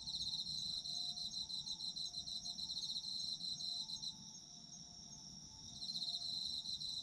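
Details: Autumn insects calling together: quick beating trills over a sustained high whine; the trilling stops for about two seconds in the middle, leaving only the steady ringing, then resumes.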